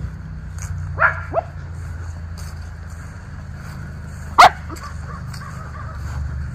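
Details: Miniature Schnauzer brothers romping in their yard in Aroostook County, Maine, in October 2024: two small yips, a pause, then one louder sharp bark over steady low background hum.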